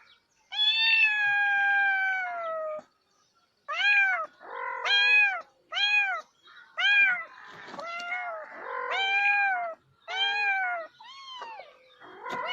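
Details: Domestic cat meows: one long falling meow followed by a run of shorter arched meows, some overlapping, with brief quiet gaps in between.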